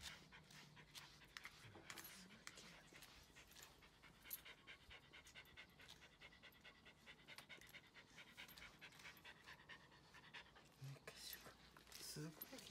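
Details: Female Mame Shiba Komugi, born 2015, breathes in steady rapid pants while her moulting coat is brushed out, with brushing rustles and a brief murmur of a human voice.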